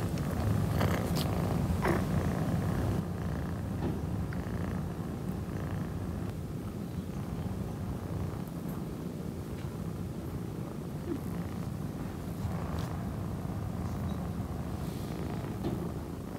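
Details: Mimi, an orange tabby kitten, purring steadily: a continuous deep rumbling vibration pulsing about three times a second, with faint soft rustling noises early on.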